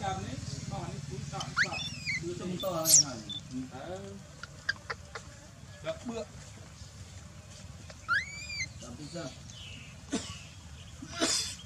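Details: Dalton, an infant macaque left on the ground by his uncaring mother Dolly, gives a few thin rising-then-falling whimpers, separated by long gaps filled with clicks, taps and low background murmur.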